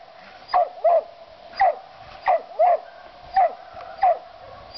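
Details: A mountain cur treeing a gray squirrel barks in a steady series, sharp bark-yelps coming roughly every half to three-quarters of a second, each with a bright drop at the end; faint background hiss throughout.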